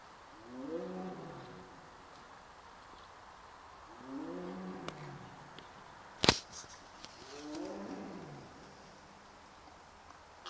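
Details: Tiger left alone in Sibiu's Dumbrava after its mother was killed two weeks earlier, calling more softly than its earlier roars: three low, drawn-out moans about two seconds long, each dropping in pitch, spaced roughly four seconds apart, with one sharp knock.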